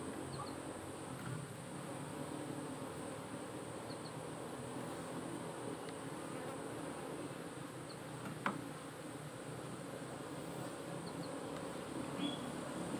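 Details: Honey bees in a cultivated hive, part of modern beekeeping monitored with the SAMS smart apiculture system that tracks colony health, temperature inside and outside the box, and hive weight; a steady low droning hum throughout, with one brief sharp click.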